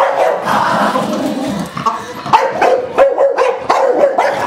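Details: Two pet Staffordshire bull terriers, Sox and Neo, barking at home after their owner asks "who's that"; dense overlapping barks, several sharp yaps from about two seconds onward, with muffled voices or room noise earlier.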